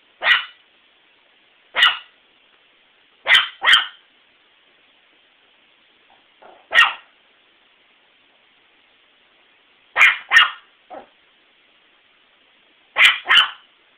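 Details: A pet dog named Princess barking: sharp, loud single and double barks spaced irregularly, roughly every one to three seconds, with a few softer yips between them in an otherwise quiet setting.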